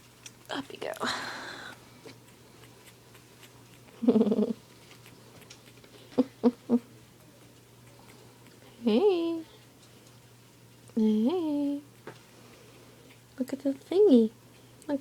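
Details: Squeaky puppy whines from three-week-old Australian Terriers, each rising then dropping in pitch and repeating in clustered bursts late in the recording, with gentle human chatter and cooing earlier on in a small indoor room.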